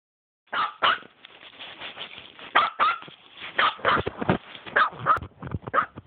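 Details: Dog recorded on an Android phone, barking in a fast, irregular string of short, harsh barks, roughly two each second, some running together over six seconds with faint background noise.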